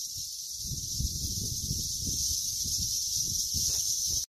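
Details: A cicada's steady, high-pitched buzzing drone over the low rumbling noise of grass being cut.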